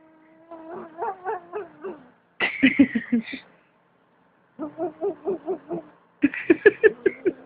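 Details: A pet cat with a fat tummy is shaken while calling, so its low, tonal voice breaks into rapid wobbling pulses, about five per second. The cry comes in four bursts separated by short pauses, with human voices nearby.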